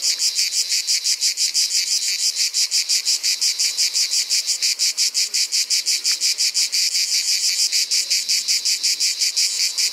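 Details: Provençal ash cicada in full summer song: a strident, high buzzing pulsed rhythmically about five times a second, the beat slightly uneven at times, continuing unbroken throughout.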